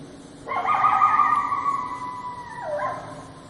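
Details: Coyote giving a single drawn-out howl, a steady clear tone held for about two seconds, then dipping and wavering briefly before fading, with quiet background and no other animals.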